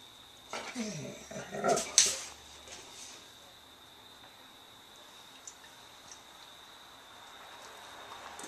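A Weimaraner lets out a quick run of whiny, yelping vocal bursts to demand attention when ignored.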